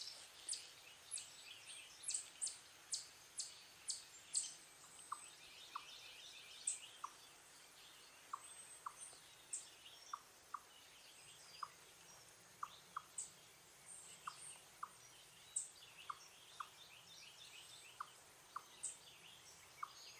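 An Eastern chipmunk gives a steady series of low, clucking chip notes as an alarm, with birds chirping nearby.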